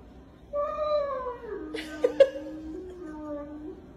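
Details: After being kissed, a dog gives a long, drawn-out moaning vocalization that starts high and slides down into a lower, steady tone.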